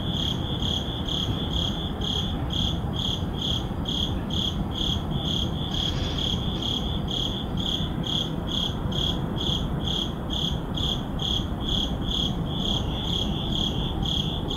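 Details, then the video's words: Crickets chirping at midnight in an urban neighborhood: steady pulsed chirps near a high pitch, repeated roughly twice per second, over a constant low rumble of city background noise. "Relaxing Sleep Sounds Urban Midnight Crickets"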